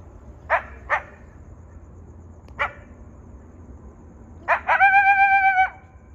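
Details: Coyotes in the desert give sharp, scattered yips and barks, then one short, steady, tuneful howl.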